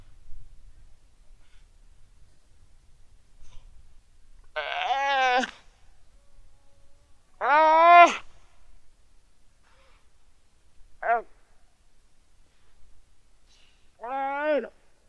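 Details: Weddell seal pup lying on the ice shelf calling its mother, quiet sunny afternoon, Terre Adélie, Antarctica, 15 November 2009, 17:30, Rode NT4 microphone: four drawn-out, harmonic, human-like wailing calls, each falling at the end, spaced a few seconds apart in near silence.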